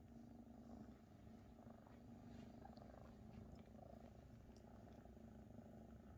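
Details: Oversized Maine Coon kittens, nearly half the size of mother Luna, purring while she tends them; dense low vibrating purr held without pause, steady in level throughout.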